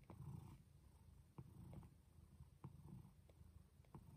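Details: Domestic cat Jaco purring during birth of her kittens indoors: short rumbling purr pulses broken by sharp clicks and brief movement noises.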